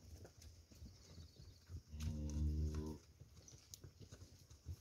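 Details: Nelore, Anelorada and industrial-cross heifers from a group of 32 in the Taubaté region of São Paulo, Brazil; one deep, rich moo holds steady for about a second amid scattered hoof clatter and a background hum.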